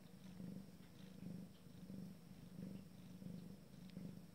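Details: Abyssinian cat purring during its first litter's first family meal; a low, steady rumbling purr swelling and fading in breath cycles about every 0.7 seconds, indoors and quiet.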